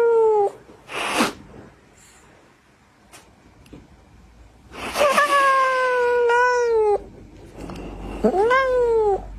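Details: Kitten or cat meowing loudly indoors: a falling meow, then a pause, then a long steady wail and a short arched call, mixed with brief hissy noise bursts.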